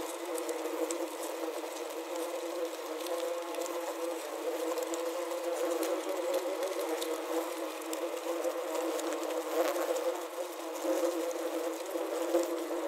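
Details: Many wasps trapped inside a wasp trap buzz together in a steady, droning hum with overlapping wingbeat tones.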